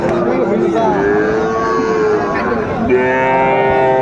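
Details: Friesian and cross-bred bull calves at Raniganj cattle market, Dinajpur, on 2 May 2024: a sustained even moo, then a second steady lowing call, with crowd voices and market noise throughout.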